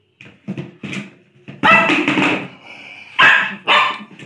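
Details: Lhasa Apso barking during play: soft, light yips build into louder, harsher barks, coming about every half second with uneven spacing, indoors.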